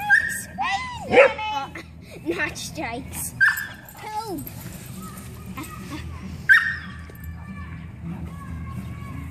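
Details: Boxer playing with a toy poodle; several short yelping barks and whines rising and falling in pitch, scattered through the play, with people talking and calling out over the dogs.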